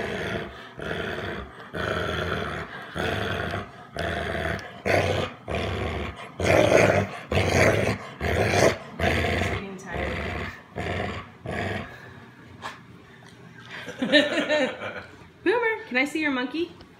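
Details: American Bulldog guarding his stuffed monkey, growling in steady rough pulses about once a second for most of the stretch, then quieter with a person's voice and higher whiny tones at the end.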